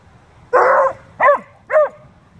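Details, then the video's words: Beagle/shepherd mix and bluetick dog playing and talking; one broad rough bark of noisy, drawn-out quality followed by two shorter arched barks in quick succession. "Beagle/shepard and Blue tick talking and playing"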